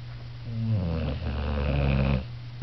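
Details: Newly adopted female boxer dozing on a couch gives one long, loud, rattling snore lasting about two seconds, low and harmonic, over a steady low background hum.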